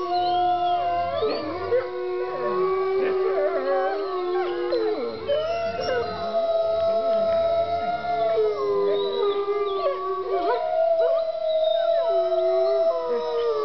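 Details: Chorus of howling wolves kept at Bays Mountain Park in Kingsport, Tennessee: overlapping long, smooth howls, some steady and level, others bending and wavering up and down, continuing without pause for the whole stretch.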